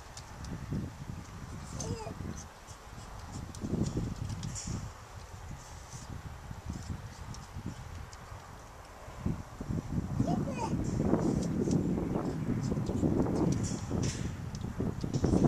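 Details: Young female pileated gibbon named Violet at the Gibbon Conservation Center, Santa Clarita, California, happily eating yellow apples, a favorite food: soft low grunting murmurs and wet chewing sounds, rising into denser, louder bursts of munching in the second half.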